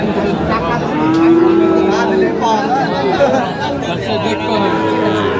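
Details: Sahiwal bull at a cattle market in Cumilla, Bangladesh, lowing once in a long, steady, low moo lasting about a second, amid constant crowd chatter and bargaining voices.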